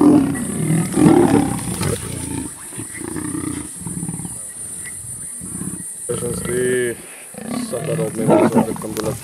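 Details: Sub-adult lions of the Kambula pride at MalaMala Game Reserve, Africa, attacking and killing a male leopard: rough, broadband snarls and growls in uneven bursts, a short harmonic wail midway, with a man talking excitedly throughout.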